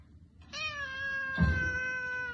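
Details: After a moment of quiet, a cat lets out a single drawn-out meow of nearly two seconds, steady and gently falling, with a soft thump partway through and low room noise behind.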